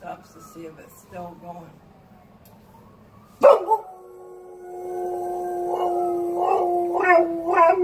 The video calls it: Dog howls like fire truck